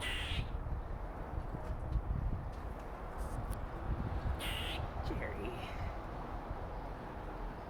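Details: A female red squirrel gives harsh, rasping bursts of scolding chatter, telling off other squirrels and marking her territory.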